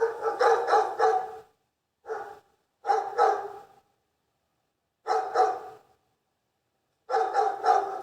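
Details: Repeated dog barks in irregular groups of two to four quick barks, with brief silences between groups; loud and clear against a quiet background.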